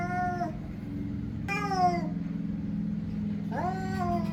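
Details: Cats meowing: three harmonic, drawn-out meows, each about half a second long, falling slightly at the end and spaced roughly 1.5 seconds apart, over a steady low humming background.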